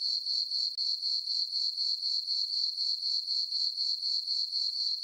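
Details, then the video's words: Crickets singing through a summer night on a farm meadow beneath the full moon, a sharp high trill beating about four times each second, briefly dipping once early on, then steady. "Cricket chirping sounds for sleeping"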